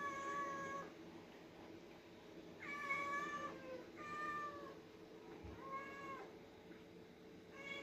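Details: Two pet cats, orange Oyen and white Putih, call noisily while being fed; five drawn-out, harmonic meows, each rising slightly then falling, come at irregular intervals over a quiet indoor background.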